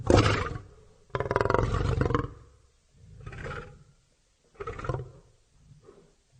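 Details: Lion roaring, one short loud burst followed by a long sustained rasping roar of over a second, then three fading grunts at lengthening intervals.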